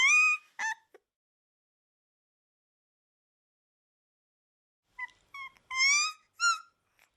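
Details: Akita puppy, a breed that is a national natural monument of Japan, whimpering in brief high squeaks and one longer whine, separated by several seconds of silence.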